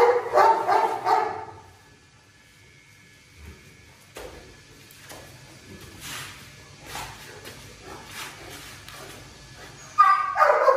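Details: Presa Canario called Xuanfeng, a very thin dog being given medicine by its owner, makes loud, tonal bursts of vocal sound at the start, then goes quiet with faint scattered noises and returns with another strong burst at the end.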